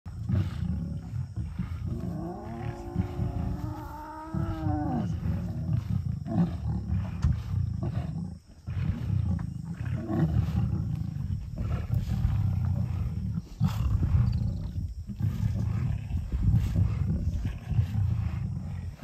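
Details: Lions from a small breakaway group of the River pride growl and rumble in deep, rough bursts, with a brief higher drawn-out cry early on, while fighting over a steenbok that wild dogs flushed toward them.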